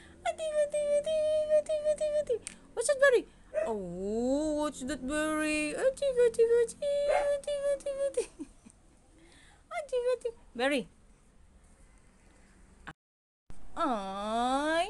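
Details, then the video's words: Siberian Husky in an arguing mood, stringing together long sustained moans, swooping whines and sharp rising cries in a busy run of talking-like vocalizing, broken briefly by a moment of dead silence before resuming. "HUSKY ARGUING"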